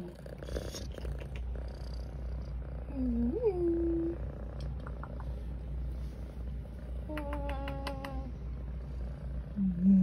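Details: Cat meowing: a short, rising, slightly wavering mew in the middle, then a flatter, drawn-out call with a few sharp clicks, over a steady low rumble.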